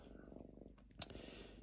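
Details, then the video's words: Diva the lynx purring while calm, tearing up paper indoors: steady low pulsed purr for most of a second, then a sharp click, with a softer purr continuing afterwards. "Мурчание рыси"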